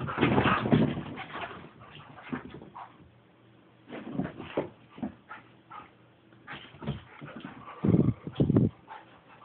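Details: Border Collie and Parson Russell Terrier playing together indoors, with rough growls, snorts and whimpering bursts coming in irregular clusters, some loud near the end.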